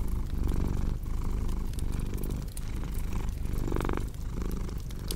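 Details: Cat purring close up, a thick low rumble rising and easing in breath-length waves, one stronger swell near the end; wood-fire crackles snap in the background.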